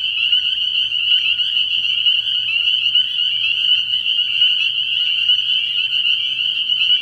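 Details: Spring peepers calling from a frog pond at night early in the year: a dense, unbroken chorus of high, shrill peeps from many overlapping frogs, steady in loudness throughout, with a faint low pulsing hum beneath.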